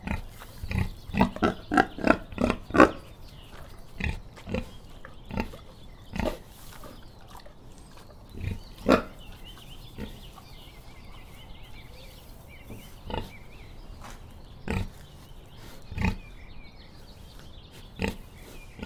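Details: Pig grunting in a series of short, low, rough oinks, clustered densely at first and then spaced a second or more apart, with faint higher twittering in the background.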